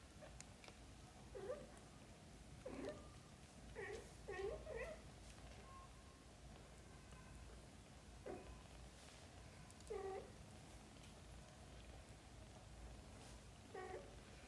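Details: Just-woken kittens pester their mother cat to go out and play, giving short bright meows in loose clusters, two close together near four seconds, then single calls every few seconds over a low indoor hum.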